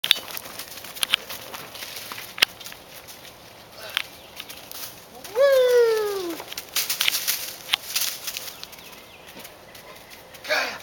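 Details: Rhodesian Ridgeback named Kaya, just under six months old, playing in the woods behind the house: one drawn-out descending whine with clear harmonics lasting about a second, amid rustling, footsteps and brief wind bursts.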